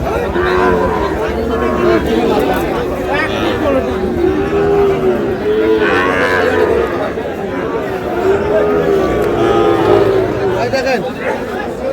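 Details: Sahiwal bull calves at a busy cattle market in Satkhira, Bangladesh, on 10 May; several drawn-out, low moos in a row, sounding over steady crowd chatter and men's voices bargaining nearby.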